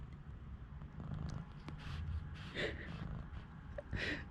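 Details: Newborn kittens only one day old, rescued with their mother ahead of cold snowy weather, let out several brief squeaky mews, the two loudest near the end, against a low droning background hum.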